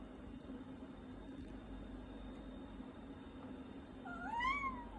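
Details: Pet cat meowing indoors while its owner eats: after four seconds of quiet room hum, one short, rising-then-falling meow near the end.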